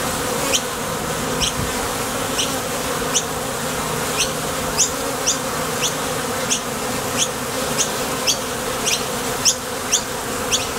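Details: ['At a Top Bar Hive entrance, honey bees come and go from the field for nectar: an unbroken, thick buzzing hum, with quick high-pitched chirps recurring roughly twice per second throughout.']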